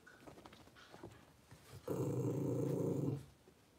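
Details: Blenheim Cavalier King Charles Spaniel puppy, one of a litter of five born at New Year's, in an indoor puppy pen after moving to a bigger pen; a low, steady, harmonic growl lasting over a second follows soft scuffling sounds.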